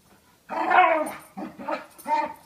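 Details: Pet dogs play fighting, a small year-old and a big five-year-old; one loud drawn-out harmonic growling whine followed by two shorter wavering bursts.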